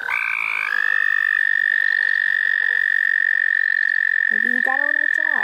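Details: One long, unbroken high-pitched frog trill dominates this chorus in the St. Olaf College Natural Lands, with fainter pulsed calls above it and a short burst of human speech at the close.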